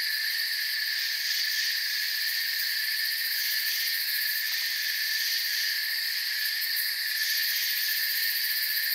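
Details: Crickets chirping in a forest at night, a dense steady chorus of high, shimmering trills in several stacked pitch bands, unbroken and even in loudness throughout, with no other clear sounds.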